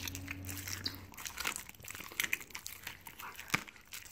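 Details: Siberian Husky eating raw meat and bones as a reward, indoors. Sharp broadband crunches and bone-grinding clicks come in irregular bursts, with a loud snap near the end and a low steady hum early on.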